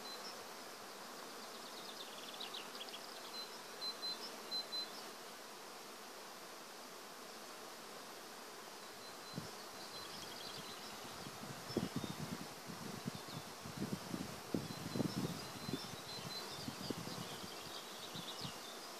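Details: Bees working through an acacia forest: a quiet hum and high bird chirps at first, then closer, stronger buzzing surges from about the tenth second onward as insects fly near.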